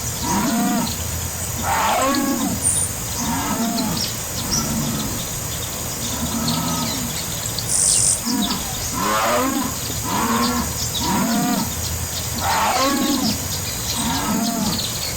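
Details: Jaguar calls as a long run of rough, throaty grunts, each rising then falling, repeated about once every one to two seconds through the whole stretch over a hissing background.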